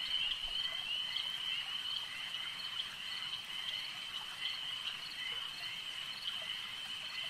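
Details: Many frogs at a lake form a continuous high-pitched chorus of rattling croaks, individual calls blurring into a steady shimmering band with small pulses rising and falling through the seconds.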